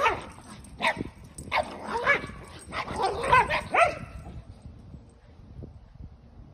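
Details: Keeshond racing around a yard with zoomies while a Boston Terrier chases him; a burst of short, sharp barks and yips repeated about a dozen times over four seconds, then quiet yard noise.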